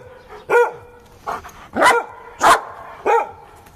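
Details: Giant Schnauzer named Vito, at play, gives five loud, deep barks about every half second to second, each a short harmonic burst. A man's voice is heard nearby.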